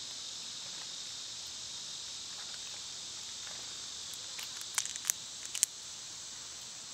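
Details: Cicadas singing loudly in summer, a steady high-pitched hissing drone that never pauses, with a few sharp clicks near the end.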